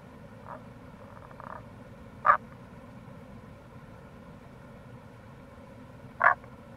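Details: Two crisp, clipped croaks about four seconds apart from a Tago's brown frog, with faint purring notes before them, recorded in April near a gorge on the Kamo River, Itoshima, Fukuoka, with flowing water behind.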